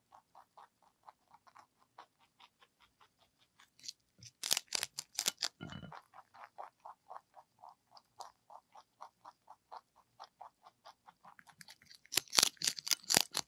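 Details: ZZ, a pet lionhead and Dutch mixed-breed rabbit, eats celery indoors: quick, even crunching chews about four per second, broken by two louder bursts of snapping crunches where fresh bites are taken.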